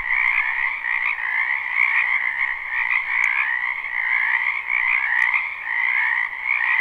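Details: Chorus of croaking frogs in a spring wetland, live: a thick, unbroken wall of fast pulsing trills, level and steady throughout, with a couple of faint clicks.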